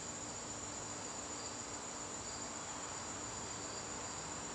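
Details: Evening garden in September: a bright, sustained high-pitched cricket trill carries steadily over a faint, softly pulsing lower chirp and light background hiss.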